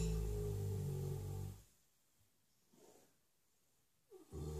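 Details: Asleep in his stable, six-year-old Shire horse Ben ends a deep, low rumbling snore, falls silent for a few seconds with faint breath, then starts another snore.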